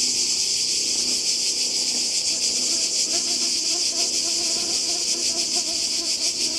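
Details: Summer cicada chorus on the Croatian coast in 2020: a loud continuous high rasp with a fine rapid pulsing texture, and soft distant voices at a low level underneath.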